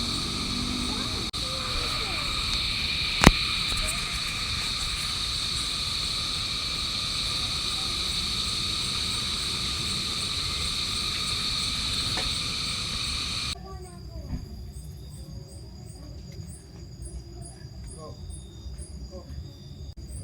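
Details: Night-time insects likened to crickets at Tura's Camp, Tagaytay City, Philippines, around a car campsite among lush greenery; a steady dense shrill chorus of high bands, then quieter rapid ticking pulses near the end, with faint voices.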